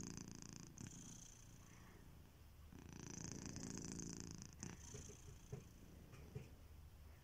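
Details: Kitiboy, a domesticated cat, asleep and snoring; rhythmic low rumbles rise and fall with his breathing, one long swell in the middle, followed by scattered light taps and ticks.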